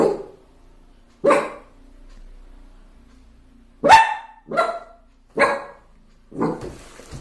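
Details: Puppy barking at himself in a mirror for the first time, indoors: six sharp, short barks spaced irregularly over about seven seconds, each a broad harmonic burst, with quiet gaps between.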